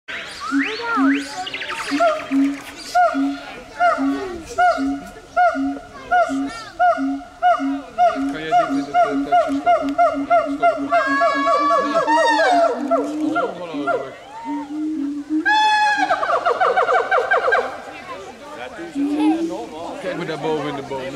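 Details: Siamangs (Symphalangus syndactylus) sing a loud duet of steady, repeated hooting notes that break into rising, accelerating whoops.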